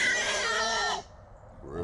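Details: One loud, harsh, broadband squeal lasting about a second from small wild boars caught three at a time in a small trap in Texas at 3 a.m., then quiet.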